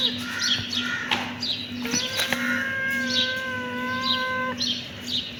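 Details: Kitten meowing: a drawn-out, even-pitched mew lasting nearly three seconds, preceded by faint high chirps and clicks, with a low hum throughout.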